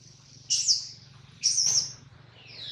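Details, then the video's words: Baby monkey Adler, held by a small monkey, crying because he misses his mother and is hungry: two loud, shrill, high-pitched screeches about a second apart, each briefly wavering, then a fainter falling squeal at the end over a low background hum. "POOR BABY MONKEY CRYING IN HANDS OF SMALL MONKEY BABY MONKEY ADLER MISSES HIS MOM AND HUNGRY"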